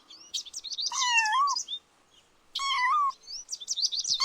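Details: Two drawn-out kitten meows, each bending gently down at the end, separated by a short silence, come from kittens chasing butterflies across the grass, with faint chirpy sounds in between.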